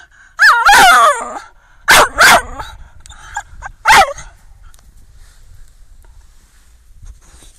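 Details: Zuza, a twelve-month-old Staffordshire Bull Terrier, gives a high whining yelp followed by a pair of short sharp barks and one more bark, then quiet rustling background.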